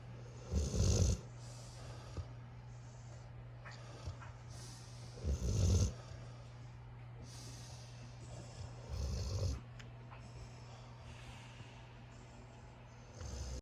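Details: A puppy asleep in a puppy pile next to his brothers, snoring loudly: three low, rasping snores about four seconds apart, with quiet breathing and a steady low hum between them.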